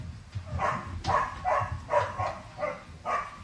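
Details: Young Staffordshire Bull Terrier puppies from a litter of eight romp together while their keeper tells them not to bully one sibling; quick, uneven series of high whining yips, about six in three seconds.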